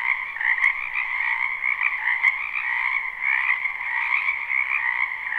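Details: Live recording of a crowded spring wetland frog chorus: overlapping trilled croaks swell and ebb in two bright pitch bands, with a couple of brief clicks early on.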